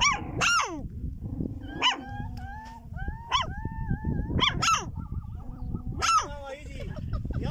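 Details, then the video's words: Wild dog in the desert of Chad: a series of high, wavering yelps and whines, each sliding down in pitch, about six cries in quick succession over rough low rumble. "Wild Dog in desert"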